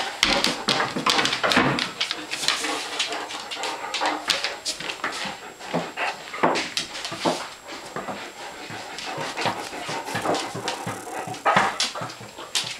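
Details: Hungry dogs whimpering and panting in a busy, continuous jumble of short yips and breathy sounds, with clicks and scuffling throughout.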